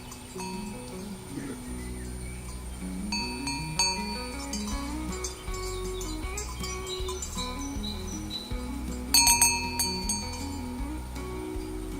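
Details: A gentle melodic music track with chiming bell tones and a steady bass line plays throughout, with no animal voice.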